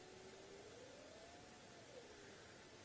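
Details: A distant spotted hyena gives a faint, drawn-out whoop that rises slowly then falls away, at night on an African safari (Maasai Mara, Sabi Sand or Kruger) as the wind dies down; a nearby lioness looks toward the calling hyenas.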